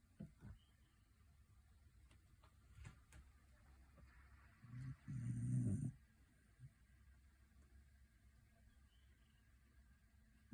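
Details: Shetland Sheepdog snoring, loud for such a dainty-looking dog: long quiet stretches of low breathing broken by one heavy, rattling snore lasting about a second, then calm again, with a sharp knock at the very end.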